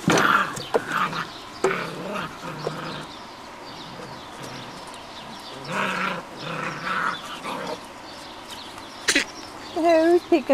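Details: Puppies of Copy and Peach, six to seven weeks old, playing: short high whines and yips in scattered bursts, with quiet gaps and a few sharp knocks, and a person talking softly nearby.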